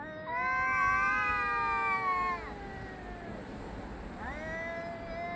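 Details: Yowling cats calling at each other, recorded 3 Av 5785 around 6:01–6:04 summer time: a long, strong, tonal wail of over two seconds that bends down at the end, then after a pause a second rising yowl begins.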